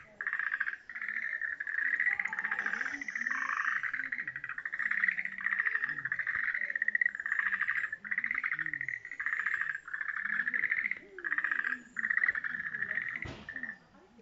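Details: Many frogs calling together in a temple pond at Tenporinji, Japan, a steady rattling, pulsed chorus with long overlapping bursts, pausing briefly near the end, with faint lower croaks beneath and a single sharp click.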